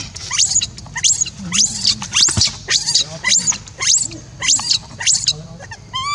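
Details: Rainbow, an orphan monkey left alone, cries to call Libby back: a run of high, shrill, rising-then-falling screams with a harmonic stack, about two per second, ending in short tonal squeaks.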